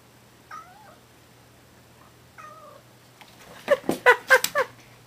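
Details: Kitten fighting a big dog indoors: two thin falling meows, then a rapid burst of harsh hissing and spitting growls near the end.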